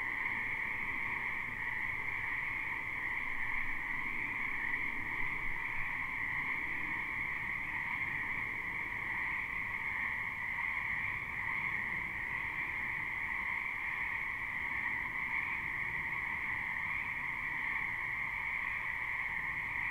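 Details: Live, unlooped recording of a frog chorus in a spring wetland behind a home: an unchanging wall of high trilled croaks at two pitches across twenty seconds, with quiet low background noise.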